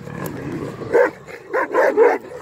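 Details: Female Kangal dogs, purebred, giving several short harmonic barks in a cluster near the end, after a quieter stretch of low rumbling background.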